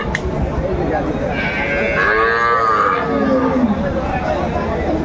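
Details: Cows with calves at Aftabganj cattle market, Dinajpur, Bangladesh, 25 August 2024. A single long, drawn-out moo first rises, then falls and fades, over a steady roar of crowd chatter.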